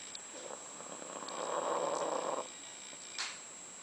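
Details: One of the dogs Candy and Frank, asleep during their last days, lets out one rough snoring breath that rises and fades over about a second, followed by a brief rustle; a thin high tone persists throughout.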